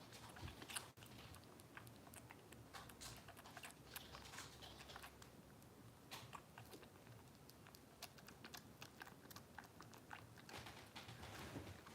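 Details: Quiet small-room recording of soft clicks and taps, like typing or chewing, over a low steady hum; no animal calls are heard.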